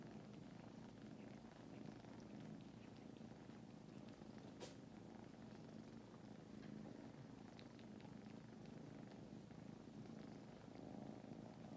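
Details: Purring from a napping litter of foster kittens in Huntsville, Alabama, rescued from a flooded North Alabama shelter; a dense, even low rumble runs unbroken for the whole stretch, with one sharp click midway.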